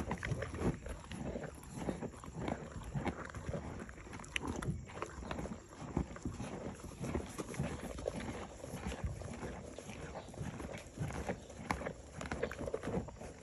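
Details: Morgan horse mare eating grain: dense, continuous crunching and grinding bites, irregular clicks and rustles close to the microphone, no calls.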